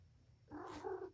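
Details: Domestic cat indoors, with a mother cat named Patience playing with her litter of five kittens, four males and one female, in a room. A single short, tonal meow rises briefly and then fades, with faint room noise underneath.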